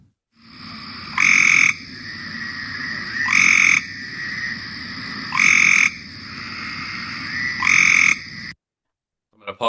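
Cope's gray treefrog giving short, harsh, rapid trills, repeated about every two seconds.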